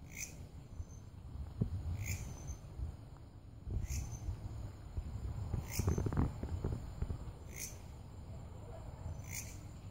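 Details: Belalang kerek grasshopper calling with brief rasping chirps at a steady pace of roughly one every two seconds. A faint continuous high hum and low rumble sit underneath, with a louder scraping noise near the middle.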